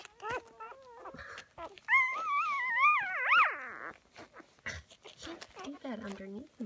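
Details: Loud complaining whines from a black female Whippet puppy of a May 2016 litter, sustained wavering cries rising and falling, with a person speaking softly nearby and a lower moan near the end.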